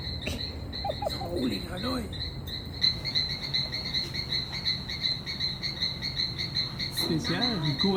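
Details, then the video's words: Small Adenomera frogs call in a fast, steady run of high, tinny notes in a hotel courtyard garden by the Itaya River, Iquitos, in the Peruvian Amazon, with a person talking briefly. "Dans l’hôtel, on entend des grenouilles."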